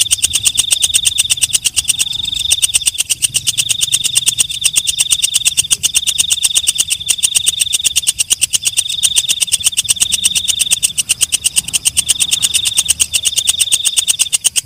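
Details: A night katydid (walang kecek) keeps up a dense run of rapid high ticks beneath a shrill, sustained buzz that swells and dips in regular waves about every second and a half, steady throughout.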